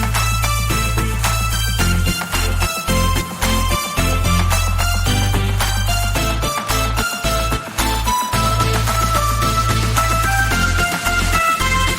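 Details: Upbeat electronic music with heavy bass plays throughout, with no animal sound. Steady melodic tones and a pulsing beat fill the whole passage.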